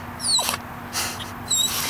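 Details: Pomeranian crying with excitement on the way to a dog park, two brief, very high, thin falling whimpers about a second apart over a steady low rumble, following spoken commands to lie down.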